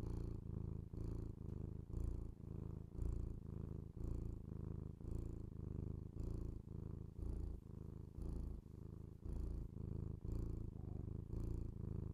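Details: Domestic cat purring indoors, recorded binaurally for ASMR: a low, steady rumbling purr in rhythmic pulses about every half second, alternating with breath, with no other clear sounds.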